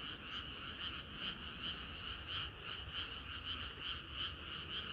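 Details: Summer-night frog chorus, many callers croaking together in a steady pulsing wash, notes repeating quickly and evenly, with low background noise underneath.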